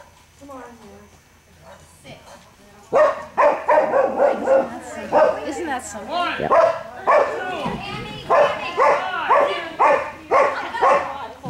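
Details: Gordon Setter barking during an Ex B Fast 26in class on 9/30/11: after a quieter start, sharp harsh barks begin near three seconds and repeat rapidly, roughly two per second, over a low steady hum.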